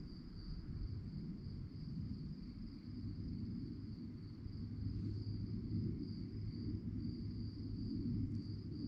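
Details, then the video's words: Crickets at night give a continuous high, evenly pulsed trill. A low murmuring rumble sits underneath and grows slightly louder toward the end. "relaxing sounds of crickets"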